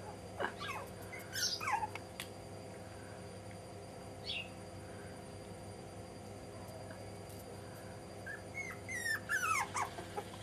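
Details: Young Jack Russell Terrier pups, aged five and a half weeks, letting out a few brief squeaky whimpers near the start. Long quiet stretches of hum follow, then a fresh cluster of high, bending whines at the end.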